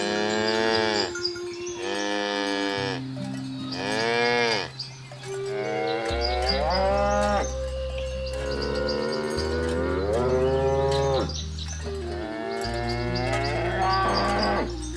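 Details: Herd of cows being driven toward the livestock pen through a rice field ditch in a village; about five drawn-out, rising-then-falling moos overlap one another, over steady low background music tones.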